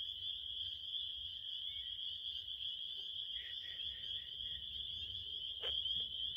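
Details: A high, continuous cricket chorus droning without pause. A few short, lower chirps repeat in a brief run, and a couple of sharp knocks break in near the end.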